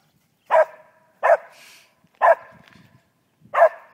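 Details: Domestic pet dog chasing birds gives four loud, abrupt single barks spaced about one second apart, with quiet pauses between and the owner encouraging it to get the birdie.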